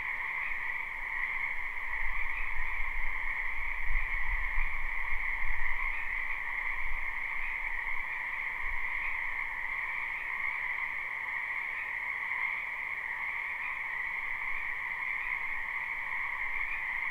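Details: Frogs of a spring wetland call en masse in a live, unlooped recording: a constant trilling chorus in high and middle registers, accompanied by an irregular low rumble that swells in the early seconds and then fades.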